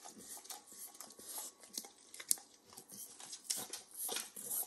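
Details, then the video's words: A pet dog named Max, a nine-year-old Pit Bull, works over a bacon treat in a kitchen. Sharp moist tongue clicks and sticky smacks come steadily, several per second, with brief pauses, heard close up. "Max Licks & Nibbles Bacon | Dog Licking Sounds"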